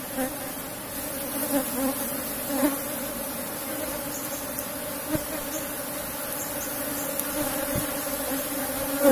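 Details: Asian honey bees (Apis cerana) of a strong colony kept in a box hive, droning as honey is harvested; a steady low hum with a clear, even tone and faint overtone, holding level throughout with only small bumps of handling noise.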